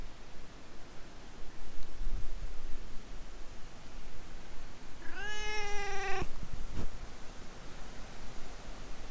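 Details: A stray cat talking to a person in cat language, filmed outdoors on a GoPro HERO8 before being petted and climbing onto a lap: one drawn-out, slightly rising meow over steady low rumbling noise, followed by a couple of sharp clicks.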